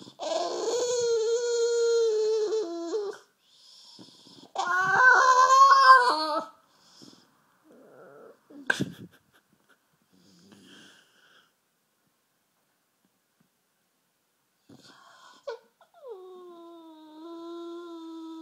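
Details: Bulldog named Rufus, sulking half asleep on a sofa, makes two loud drawn-out whining moans early on, then quiet snuffles and near silence, ending with a softer falling whine.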